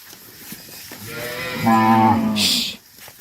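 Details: Tame cattle herded back to the farm pen; a single drawn-out moo swells and rises slightly in pitch over about a second and a half, followed by a brief hissing noise.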